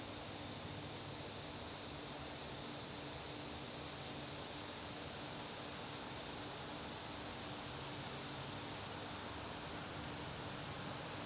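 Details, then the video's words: Crickets in a garden on a September evening, a steady high-pitched trill with faint pulsing chirps beneath, set against a constant hiss of background noise. "garden crickets"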